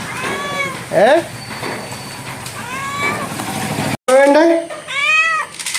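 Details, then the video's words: Domestic cat kept as a pet, talked to by its household, meows several times between a woman's coaxing Malayalam speech, short arched wavering cries, the last two after a brief break coming louder and closer together. "Chatting with cats / പൂച്ചയുമായുള്ള ഒരു കുശലാന്വേഷണം."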